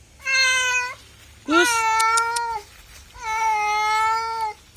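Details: Three loud, drawn-out cat meows, the second beginning with a sharp upward sweep, each level and tonal with strong harmonics, separated by short pauses.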